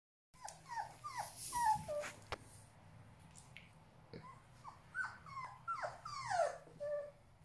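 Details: Border Collie puppies exploring a house and chasing their mother, giving a series of short high whines and whimpers, many sliding downward, in irregular bursts with brief quiet gaps; a low steady hum runs underneath.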